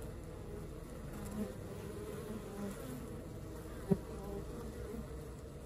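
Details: Continuous low drone of a honey bee colony at work, many wings humming steadily, with a single brief click near the end.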